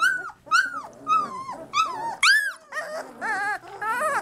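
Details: Three-week-old Labrador Retriever puppies crying indoors, a string of high, arched whimpers that rise sharply then fall, repeated roughly every half second, some wavering and quavering toward the end.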